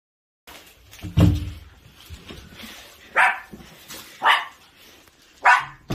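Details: Long-haired Chihuahua named Danji, a neighbour's pet dog, greeting visitors it is fond of; a few sharp, bright barks spaced about a second apart, with a rustle and a dull thump between them.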